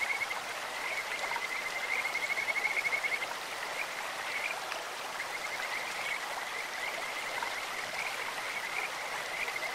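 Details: Stream-dwelling Kajika frogs produce bursts of fast, bird-like trilling, strongest around two to three seconds, with fainter trills later, set against continuous babbling water.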